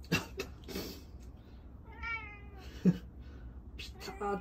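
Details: A cat begs for more food after eating with one long, slightly falling meow. Thumps, rustling and brief clicks are heard around it.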